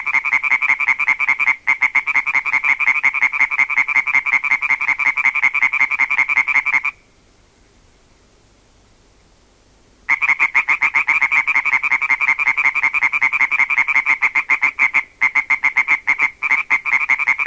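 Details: Rhythmic calling of two European tree frogs, field-recorded: rapid runs of harsh, pulsed croaks in a continuous rattle, broken by a silent gap of roughly three seconds, then resuming just as loud and steady.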